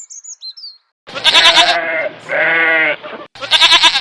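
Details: Domestic goat on an Indian farm bleating: a few faint high chirps, a pause, then loud quavering bleats with rapid vibrato, a steadier drawn-out middle bleat, and another trembling bleat at the end.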